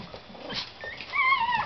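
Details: Thin, wavering high whines rise and then fall from a seven-week-old Yorkshire Terrier puppy in a litter of five, after a few faint yips and rustles inside the whelping box.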